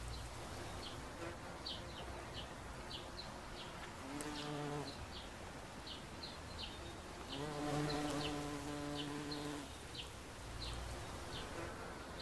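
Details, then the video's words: Bumblebee on a daisy: a low, droning harmonic hum that swells in two bursts, one short and one lasting about two seconds, while small birds chirp repeatedly and high in the background. "Čmelák na kopretině"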